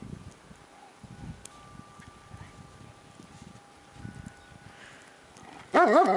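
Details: A paraplegic female Shiloh Shepherd with anal sac carcinoma, outdoors in snow in a homemade cart, barks at dogs she sees. Soft rustling and shuffling come first, then one loud, sharp bark closes the recording.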